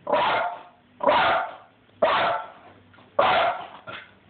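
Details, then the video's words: Pet dog barking at feral cats, captured on an Android phone: four sharp, full barks about one second apart, each trailing off quickly, with a short clipped bark at the end. "Petey hates feral cats!"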